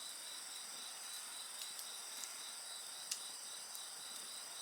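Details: Insects singing together at night in Japan beside a bonfire: a steady high, shrill trilling layered in several bands, with scattered sharp crackles and pops from the burning fire.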